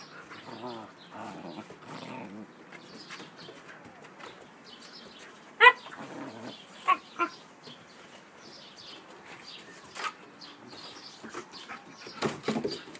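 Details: Siberian Husky puppies at play, Bella aged 4 months, always loud in play, and Hunter aged 8 months: short harmonic whining growls at the start, a sharp yelp midway, a few more yips near the end, with scuffling between.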